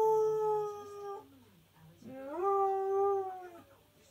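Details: Male Husky/Malamute cross howling along with TV adverts, each with its own song: a held howl tapers and falls away, then a brief pause with low background sound, then a new howl swoops upward, holds and ends.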